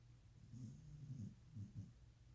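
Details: Cadi, a sleeping puppy, snoring indoors: soft, low snuffling breaths in a few uneven bursts over about two seconds, with a steady electrical hum underneath.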